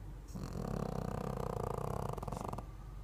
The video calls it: Snoring Pekingese